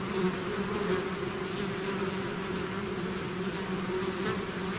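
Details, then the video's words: A constant, rich hum from a bee swarm that has left its hive. Paired pitched bands drone without pause, with soft fluctuations as individual insects fly nearer. "bees therapy swarm natural buzzing sound"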